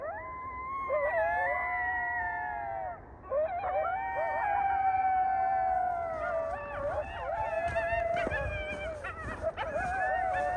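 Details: Coyotes in the new year season, several voices howling together in long sustained wavering tones, some sliding down at the ends, overlapping with short yips and rising squeals toward the end.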